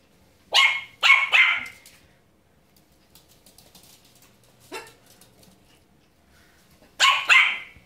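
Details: A female Pomeranian puppy barking at a broom gives sharp, high-pitched yapping barks in quick bursts.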